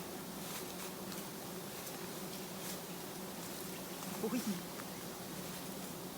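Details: Giant honey bees from a colony hanging low beside a roadside, disturbed during honey harvesting; a steady low droning hum runs throughout, with a brief burst of human voice near the end.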